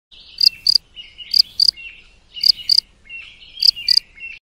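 A cricket chirps in bright, high paired pulses, repeating about once a second.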